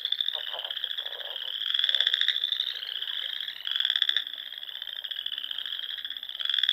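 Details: Spring frog chorus from Nebraska's Sandhills at dusk by small ponds, a steady high-pitched trill carpet punctuated by louder buzzy pulses every couple of seconds.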